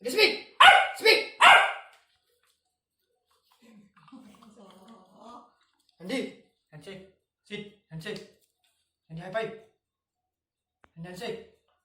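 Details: Labrador Retriever puppy barking for food: four loud, sharp barks in quick succession open the recording, then quieter scattered barks and soft voices in a small room.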